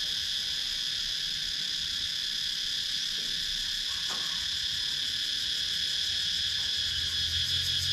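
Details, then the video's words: Wooded rural Sakon Nakhon, Thailand, cicadas captured with a GoPro Hero 9, their continuous shrill droning wall of sound pulsing rapidly and evenly, with a faint brief sweep near the middle. "Cicadas Sound"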